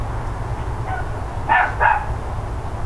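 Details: Neighbours' dogs barking on the morning of 13 October 2012, shortly before 10 AM: one faint bark, then two short, harsh barks close together near the end, over a steady low hum.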